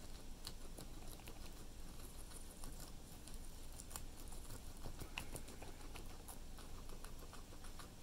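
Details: A guinea pig munches cilantro, giving fast, dry crunching clicks in uneven clusters, some sharper snaps standing out, continuous chewing throughout and no vocal squeaks, set against a low steady hum.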